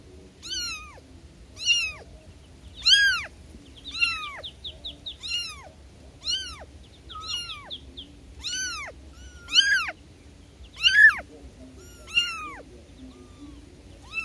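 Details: Calls of newborn kittens summoning their mother, high downward-curving mews spaced about a second apart, some overlapping, with a brief stretch of quick, fainter chirping mews in between over a low steady hum.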